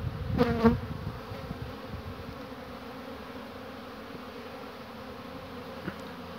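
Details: Honey bees near their hives on 22 March 2019, returning laden with pollen and resting; a short, low, harmonic buzz passes at the start, then a faint steady background hum.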